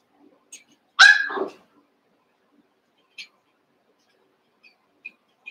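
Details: One Cavalier King Charles Spaniel puppy among eight playing, Daisy's six joined with Robin's two: a single sharp high yelp-bark that falls away into a short whine, followed by faint soft ticks and quiet squeaks.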